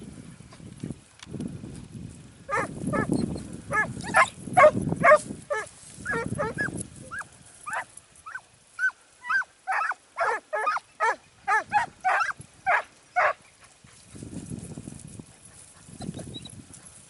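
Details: Segugio Italiano hound, Sofiko, in Evros on 12 September 2018 during training: a series of sharp, ringing yelping barks, about two per second, then more spaced. Low rumbling wind or handling noise comes before and after.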